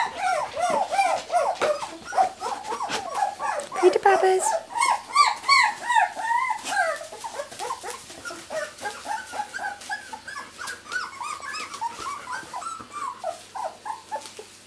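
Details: Rosie's miniature Labradoodle puppies, two weeks old and born 31 July 2009, fill the recording with a chorus of overlapping high whines and squeals from several pups. The rapid, bouncing cries fade slightly toward the end, with a faint human voice at the start.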